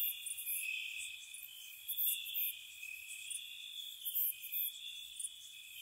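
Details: Crickets chirping through a spring night outside a cottage: a steady high shrill trill underneath, with brighter pulsed chirps breaking out in short bursts every second or so.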